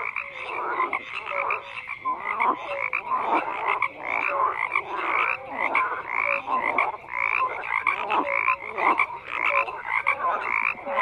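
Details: A dense chorus of many frogs croaking together, overlapping rasping calls pulsing roughly twice a second, with short clear tonal notes scattered through the din and no other sounds standing out.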